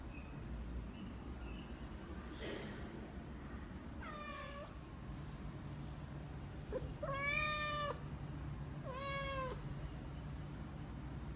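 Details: Hungry British Shorthair kitten meowing indoors: three clear, drawn-out meows with a slight rise then fall, about two seconds apart, after faint earlier sounds, over a steady low household hum.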